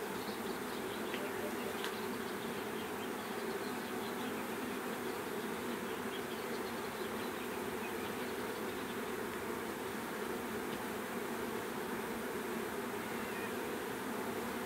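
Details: A swarm of bees producing a dense, continuous droning hum, steady and unbroken throughout, with energy concentrated in a low-mid band and a faint hiss above.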